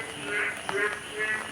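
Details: Frogs call from small ponds and ditches filled by continuous rain on a cloudy morning after a full day of rain, croaking in short, nasal bursts repeating about every half second, heard again after a long absence.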